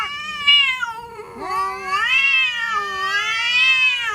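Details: Cats threatening each other. A continuous, eerie caterwaul bends down and then swoops back up into a long, wavering, high-pitched wail that rises and falls slowly.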